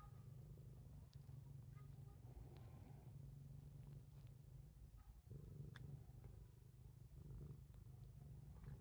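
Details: Steady low purring from Titchimo, a house cat that habitually bites its owner. The rumble pulses evenly throughout, with a brief dip near the middle and faint handling noises on top.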